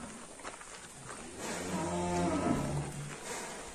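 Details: Fat domestic cattle being handled on a rope by men at a pen give one low, drawn-out moo of about two seconds that rises and then falls, over a steady background hiss.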